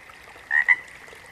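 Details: A single frog call made of two quick, bright, slightly rising notes close together, standing out against a soft steady background hum.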